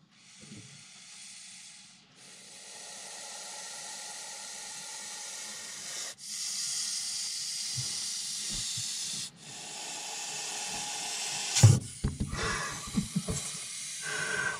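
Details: Agitated Montpellier snake (Malpolon monspessulanus) reacting to a threat during handling. A series of drawn-out, sibilant hisses comes in several long exhalations separated by short breaks, with scraping and handling noises toward the end.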